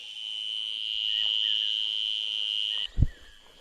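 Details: Crickets hidden in bushes at a jungle camp by Rajaji National Park, said to make the sound by rubbing their wings together: a steady, high, unbroken buzzing tone that cuts off abruptly near the end, followed by a dull thump and faint bird chirps.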